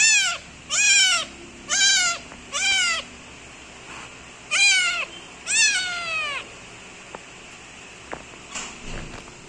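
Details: A kitten kneading its owner lets out loud, high meows, five quick falling calls then two longer drawn ones, followed by near silence with a few faint clicks and a soft distant call.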